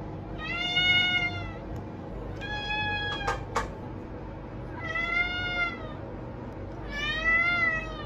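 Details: Domestic cat giving four drawn-out, bright, harmonic meows spaced about two seconds apart, each arching up then down in pitch, with two sharp clicks between the second and third calls and a constant low hum underneath.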